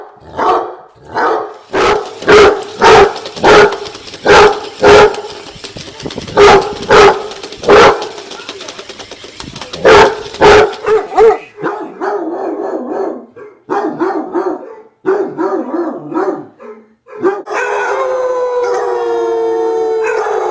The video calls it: Basset Hounds Making Sounds 2.0